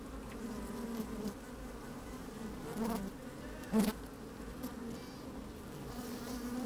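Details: From a microphone slipped into an open hive on a fine, breezy day, working honey bees produce a constant low hum with one sharp, loud buzz near the middle and light clicking of bodies shifting.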